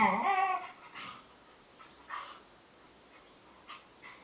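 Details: Two young Bedlington Terriers, Freddie aged 7 months and Lottie aged 10 months, playing together: a short wavering, high whine in the first second, then a few soft muffled sounds over quiet background.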